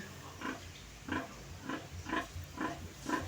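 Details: Mother pig separated from her weaned piglets earlier that day, grunting as she is readied for a bath: six evenly spaced, husky grunts roughly every half second against a faint background hum.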